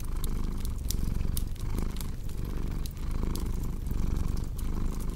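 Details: Rumbling cat purr mixed with fireplace crackle for relaxing and sleep: a dense low drone rising and falling with the breath about every second, dotted with crisp popping sounds of burning logs.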